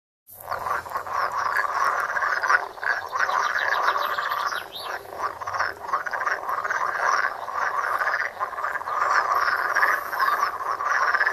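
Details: Frogs croaking at a pond in a wide outdoor view, recorded on a Samsung Galaxy Note: a dense, continuous chorus of overlapping rattling, pulsed croaks from many callers, with no pauses throughout.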